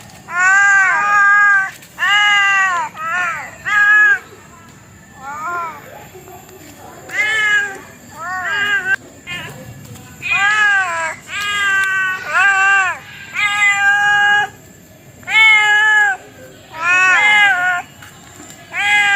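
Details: Domestic cat giving repeated meows, some short and clipped, others longer and arched, in irregular bursts through the recording, with a thin high-pitched tone running underneath.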